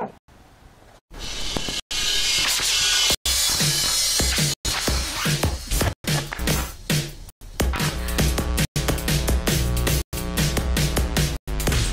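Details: Loud electronic drum-and-bass music with heavy beats and abrupt silent cuts between sections, no animal voice present.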